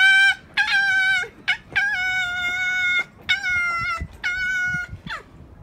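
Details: Fox at Zao Fox Village, Japan, in December 2016, angry during a fight. Rich, nasal, drawn-out screeches about a second each, five in a row separated by short pauses, with a quick sliding squeal at the end.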